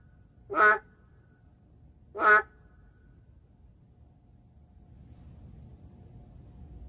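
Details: Narrow-mouthed frog, an endangered species, heard in an urban area: two brief, rich, honking calls about one and a half seconds apart, followed by several seconds of faint background rumble.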